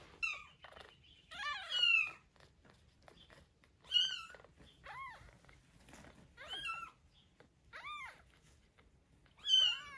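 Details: Rescued kitten about a week old, one of two wild-blooded kittens from Paraguay, being bottle-fed milk indoors: five high, arched, harmonic-rich mews spaced about two seconds apart, some wavering, with quiet background between calls.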